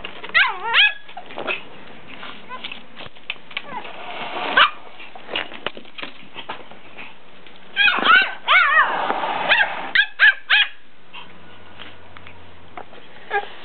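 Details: Two dogs barking at each other indoors: bursts of yappy, whining barks with rising and falling pitch, clustered around the start, middle and near ten seconds, separated by quieter gaps with faint rustling.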